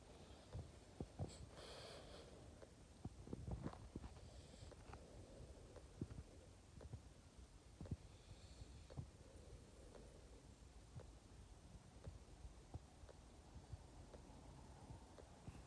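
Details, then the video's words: A French Bulldog asleep indoors, snoring softly with low, rumbling breaths and short snorty clicks at an uneven pace, the loudest stretch near the start, over a quiet room. "Храп собаки"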